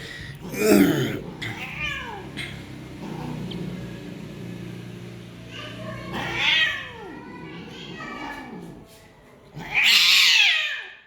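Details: Persian cats, punch-face and peke-face types with a female, brought together to mate; three loud, drawn-out wailing meows near the start, middle and end, each arching up then down, with soft murmuring and indoor room noise between them.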